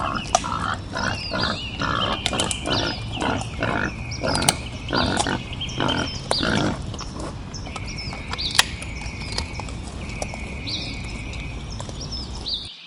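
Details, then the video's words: Wild boar grunting in a rapid, rhythmic series of low, rough pulses for about seven seconds, then falling quiet while birds keep whistling and trilling behind it. "Wild Boar Sounds"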